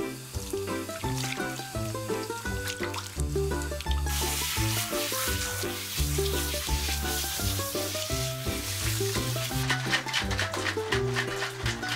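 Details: Upbeat instrumental music with steady bass notes and bright percussion plays throughout, with no animal sound.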